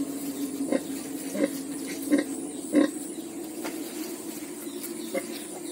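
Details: Newborn piglets, part of a litter of ten born on a farm, giving soft, short low grunts in a loose series roughly every 0.7 seconds over a steady low hum.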